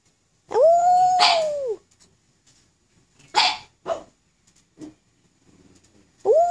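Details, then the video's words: Black pug howling with some encouragement: one sustained, steady mid-pitched howl of a little over a second that dips at the end, then short scraping and clicking noises, and a new howl starting at the very end. "Pug Howl"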